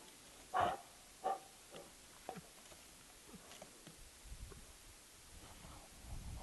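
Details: American black bear Jewel with her two cubs, Fern and Herbie, romping around at the Wildlife Research Institute on April 27, 2012; two short, loud, rough grunting calls in quick succession, followed by softer scattered grunts and rustling.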